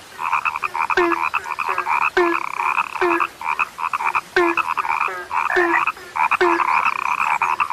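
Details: Chorus of frogs said to have become rare: many overlapping rasping croaks and trills, with short low clucks recurring about once a second. Bursts of calling have short gaps between them, and nothing else stands out.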